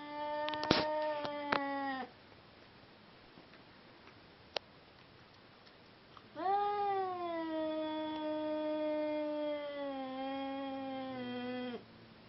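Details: Mating-time cries of a Seal Point Siamese, one of two cats brought together: a short wail with clatter, a quiet gap with a single tap, then a long, sustained, slightly falling howl of about five seconds.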